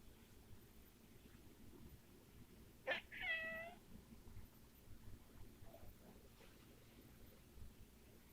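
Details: Domestic cat giving one weird, short meow: a quick clicky onset then a brief bright harmonic call under a second long, set against steady low background hum and faint rustling.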